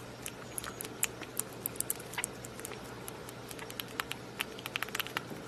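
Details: A rabbit eating a raspberry, with rapid wet smacking and crisp clicking bites over a faint low hum.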